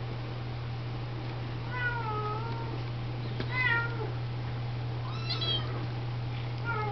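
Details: Siamese, Oriental and Snowshoe kittens being washed and fed by the mother cats give several high, thin meows, some rising then falling, over a steady low hum.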